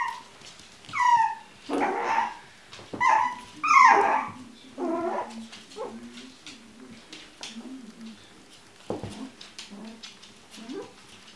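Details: Kennel-raised Chinese Crested puppies let out several loud, high, falling whines and yips in the first seconds, then settle into quieter, low, repeated grunting murmurs and a few soft squeaks.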